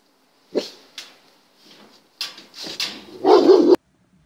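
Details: German Shepherd during temperament test No. 39: a few short, sharp yelping barks scattered over four seconds, ending in a louder, fuller bark with a clear tonal core, in an otherwise quiet setting.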